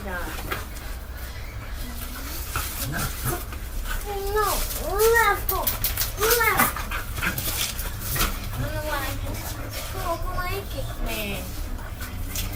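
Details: Coco, a pet dog behaving like a cat, lets out a run of arched, wavering whines and yowls, some rising then falling, several loud ones in the middle, amid household chatter.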